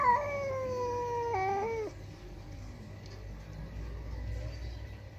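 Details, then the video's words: Kiki the village house cat roars loudly at an intruding outside cat: one long descending yowl with a brief rise midway, ending in a falling drop after about two seconds, then quiet low background noise. "Kucing Ngamuk" Kiki marah kalau ada kucing luar datang🙀 Meraung keras banget"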